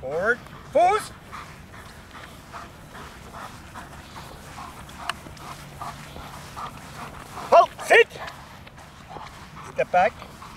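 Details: Large, powerful male German Shepherd, rated excellent in show and performance, working under control: short, loud, harsh barks in bursts at the start, near eight seconds and again near ten seconds, with a handler's spoken commands between them.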